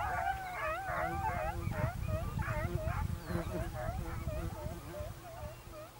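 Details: Segugio Italiano hunting dogs on a hare in Evros, Greece, 22 October 2023: rapid, excited yelping bays, several per second, each with a falling, bending pitch, with a low rumble of outdoor noise underneath.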